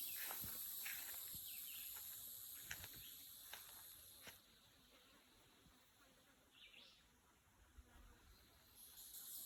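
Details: On a country road by the woods, a steady, very high insect buzz drones on, broken by crunching footsteps of a walk with a dog and a brief chirp.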